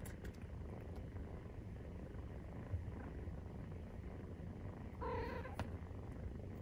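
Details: Nursing Maine Coon kittens, 43 days old, give a continuous deep purr; one short harmonic mew breaks through about two-thirds of the way in.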